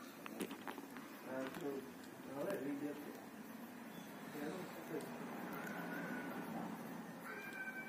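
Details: Angry, hungry kitten giving short, tonal meows in scattered bursts, about four over eight seconds, the middle ones strongest, with human voices and a faint steady background hum.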